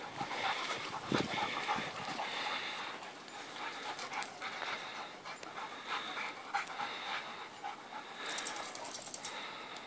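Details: White dog at morning play with another dog, panting in rapid airy puffs that come in uneven clusters, with a short bump and rustle near the start.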